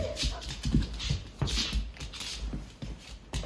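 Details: Rapunzel, a large mixed-breed shelter dog at BARCS, excited before going for a walk, gives short breathy, noisy bursts and soft whimpers indoors, with a person's encouraging voice just before and after.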